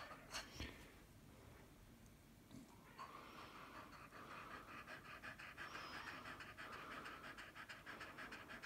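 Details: Ruby, a Staffordshire Bull Terrier from Kent Staffs, in labour with the first of her five puppies: quiet at first, then fast, steady, breathy panting that runs on in even pulses, several each second, until the end.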